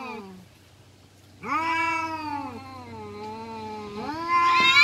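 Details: Brawling domestic village cat gives a short falling cry, then after a pause a long sustained yowl that slowly sags in pitch before a new rising wail begins; faint hum in the background.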